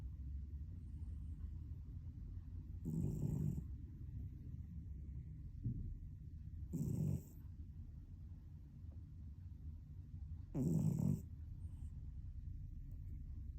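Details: A cat snores in its sleep, rasping low breaths spaced roughly four seconds apart, three in all, with a quiet hiss of room noise between them.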